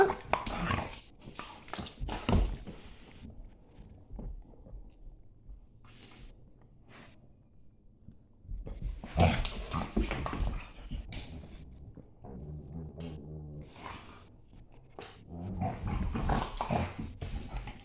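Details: A German Shepherd makes grumbling growls, grunts and yips during a morning play fight with a Staffy indoors.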